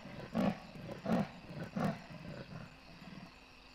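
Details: Large male leopard calling on a wildlife camera at Kwa Maritane, Pilanesberg National Park: three deep, hoarse sawing strokes roughly every 0.7 seconds, fading into fainter ones, over steady insect hum and a low electrical drone.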